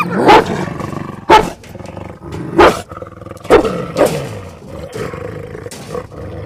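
A tiger gives five short, rough roars about a second apart, some sliding down in pitch, over a low rumbling background.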